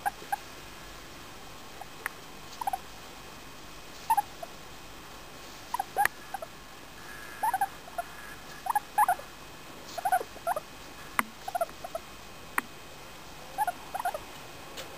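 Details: Femi, a four-year-old female English Crested guinea pig, squeaking happily while being petted; short chirping squeaks around 700-1000 pitch-wise mid-range come in scattered bursts every second or two, with soft clicks and a faint steady hiss behind.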